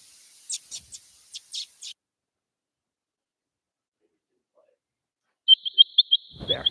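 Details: Mongolian gerbils living together as a family give a stream of short, high, chirping calls, downsampled to a lower pitch so they can be heard; which animal makes each call is unknown.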